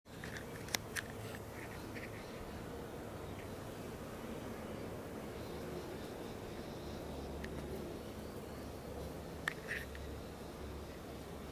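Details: Swarm of bees loudly feeding in a flowering Leptospermum 'Aphrodite' tree, a native tree, making a steady, dense low drone that runs throughout, with a few brief bird chirps near the start and again after nine seconds.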